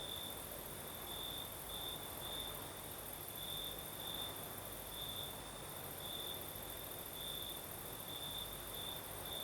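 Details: Crickets singing at night in the south of Crimea with a night breeze: a steady high-pitched trill that swells and fades in uneven pulses, over a broad airy hiss and a thin, very shrill insect hum higher up.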